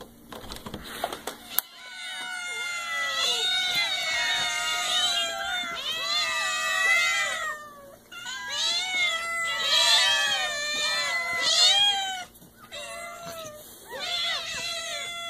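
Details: Cats meowing in a compilation of funny cat moments: a steady run of drawn-out, wavering, high meows, several overlapping and rising and falling, almost continuous for most of the stretch, with a faint low hum beneath.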